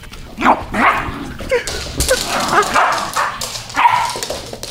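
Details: Siberian Husky play fighting with a little dog: rough, excited barks and yips come in about six bursts over five seconds, with growly scuffling between them.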